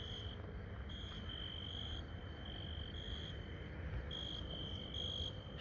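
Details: A cricket, heard at night by the port in Lisbon, keeps up a steady, high, ringing trill that swells and dips in short pulses.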